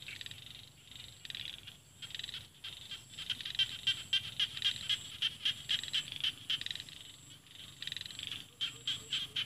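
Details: A frog calling from rice fields in the Isan region of northeast Thailand, framed by mountains. Rapid series of short, high clicking pulses, about four per second, with a brief pause partway, over a steady low rural hum.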